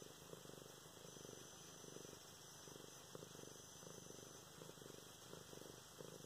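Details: Luna, a domestic cat, purrs contentedly as she is petted and played with on November 24, 2016; continuous low pulsing rumble, each breath cycle audible, with slight handling sounds.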